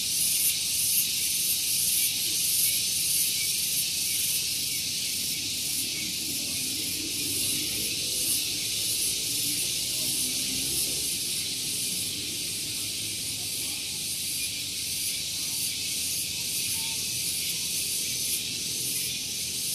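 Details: A morning cicada song on Gunung Geulis, Bogor, West Java, beside a vehicle parking area: an intense, high buzzing hiss with regular rapid throbs, lasting the whole time, over a soft low rumble that rises and fades.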